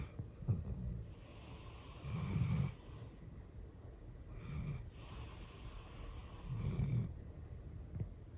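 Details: Hatch, an 11-year-old female golden retriever born on 31 December 2010, snores while sleeping indoors, with no background music. Low, rumbling snores come about every two seconds, four in all, with soft breathy hiss between them.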